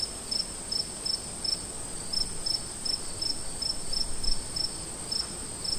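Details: Crickets in the woods at night, heard from a campsite: sharp high chirps in regular bursts about three per second, with a brief pause midway, over a steady high-pitched insect drone.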